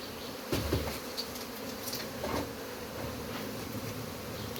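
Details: Steady humming drone of many honey bees while their hive is removed, punctuated by a few knocks and handling bumps around the half-second and two-second marks.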